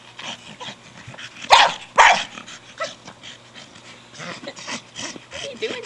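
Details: Brogan, a 4-year-old Staffordshire Bull Terrier, playing with his big hard plastic ball: two sharp, loud barks close together near the second mark, then quieter panting and snuffling while a person talks to him about the ball.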